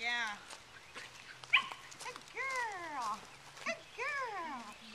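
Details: Excited nine-week-old Welsh Terrier puppy on a lead outdoors whines in repeated arched cries that rise then fall, several in five seconds, with brief sharp yips between, over a faint low hum.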